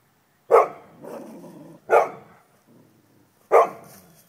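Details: Neighbour's dogs taunting another dog across a stockade fence, digging under it: three loud barks about 1.5 seconds apart, each followed by a lower rough growling tail, outdoors.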